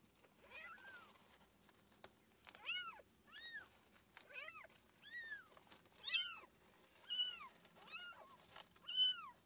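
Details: Rapid series of high, arched meows during the birth of the house cat Tússa-Gatússa, who delivered seven kittens indoors; about a dozen calls, some overlapping, rising and falling, growing louder toward the end, in a quiet room.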